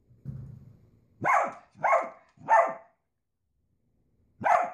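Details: Pet Dachshund, or sausage dog, giving loud clipped barks: a soft low rumble first, then three quick barks about two-thirds of a second apart, a pause, and one more bark, in an otherwise quiet room.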